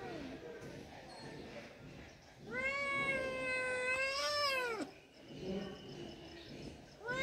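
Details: Indoor domestic cat uttering one loud, sustained meow of about two seconds that holds steady and then drops sharply at the end, followed by softer shuffling and a short start of another call.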